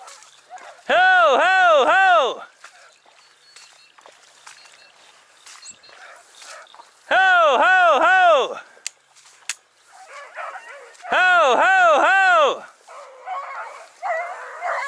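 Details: Dachshund baying on a driven fox hunt, Victoria, 23 October 2022: three loud bursts of undulating, yodel-like howls, each over a second long, spaced several seconds apart, with brush noise between.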